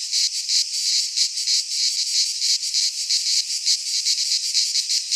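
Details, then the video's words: Chorus of cicadas singing in midsummer among Greek pines: loud high-pitched buzzing that pulses quickly and unevenly, a constant shimmering drone filling the whole stretch. "Cicadas singing in midsummer - Nature sounds from the Greek fauna - Sounds of cicadas"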